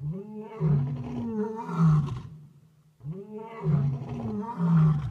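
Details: Lions roaring at night at Talamati in Kruger National Park: two deep moaning roar bouts, each swelling over about two seconds with rising and falling tones, separated by a short silence.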